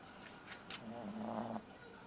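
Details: Deeply asleep dog named Ron snores softly, a faint buzzy hum held about half a second after a few light clicks, in an otherwise quiet room.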